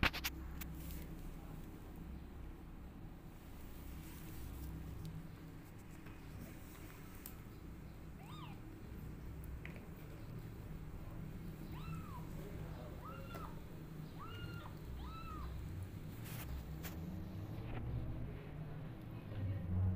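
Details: Rescued orphan kittens feeding on milk from a nursing mother cat that lies in an awkward position; about five short, high, arched mews come in the second half, close together and softly voiced, over a steady low hum.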